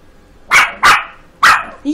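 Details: Five-month-old Yorkshire terrier puppy barking while learning to count: three sharp, high-pitched yaps in quick succession, the first two close together and the third after a short pause, with a brief low sound at the end.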